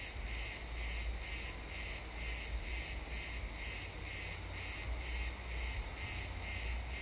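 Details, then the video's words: Chirping crickets in pine woods at sunset, stereo XY recording; evenly spaced high-pitched pulses near two per second with a noticeable low-frequency rumble in the background. "Cricket sounds in the pine forest"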